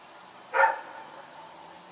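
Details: A single short bark from Rex, a dog running around at night, recorded 21 September 2018, standing out briefly over a low steady hum.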